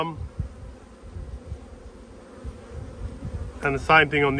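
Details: Honey bees from strong colonies during a food dearth, buzzing as the Black and White Hives are opened for inspection in Australia on 5 February 2022. Steady low, grainy hum for several seconds, then a man's voice speaks over it.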